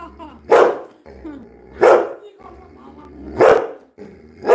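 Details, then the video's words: Pet Labrador Retriever Coco, inside a house after trying to pull slippers off feet and being ordered to sit, gives four sharp single barks spaced about 1.4 seconds apart, with a person's Bengali speech between them. "CRIMEMASTER COCO - THE LABRADOR"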